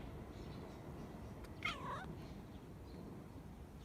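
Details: A brown-and-white American Shorthair female cat peers out of a window and meows toward birds outside, something she seldom does. A single clear, bending meow lasts about half a second over low, rumbling room noise.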